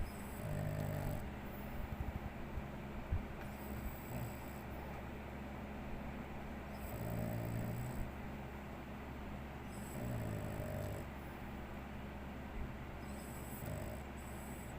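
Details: Sleeping Shih Tzu snoring: low, rough snores rise in soft bursts every few seconds over a steady low hum, with no other animals heard.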